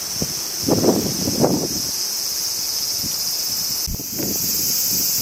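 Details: A high, even cricket trill from a Japanese summer sits behind louder bursts of wind-blown leaves rustling in the first half, with a short dip in the chorus near four seconds.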